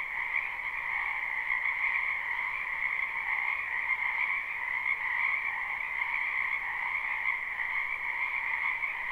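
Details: Many frogs calling in a spring wetland behind a house, recorded live: a dense, steady chorus of trilling croaks in two bands, one lower and one higher-pitched, running unbroken the whole time with no other sounds.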